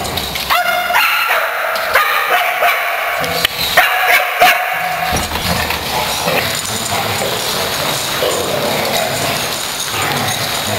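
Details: Dogs excited for playtime on 3/3/08 let out a quick, irregular run of shrill yips and barks over the first five seconds, then fall quiet, leaving a broad, noisy indoor hiss.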